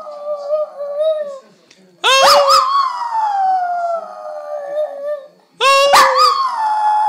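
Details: Singing dog: a wavering howled note fades out, then two long howls follow, each opening with a quick rising yelp and gliding slowly downward.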